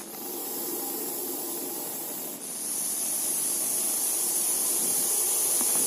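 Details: Harsh, continuous hissing from a Russell's viper, two sustained breaths joined by a short drop in loudness, the second swelling slightly louder, a thin high tone running over the top.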